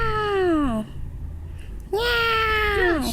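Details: A cat gives two drawn-out meows about a second apart, each a clear, tonal, harmonic cry that slides downward in pitch at the end. The second is longer and holds steady before dropping.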